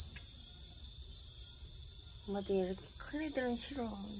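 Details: Momo, a yard cat in Laos, fighting to defend territory at the start of the rainy season: a short run of wavering, moaning yowls near the end, over a steady high insect drone.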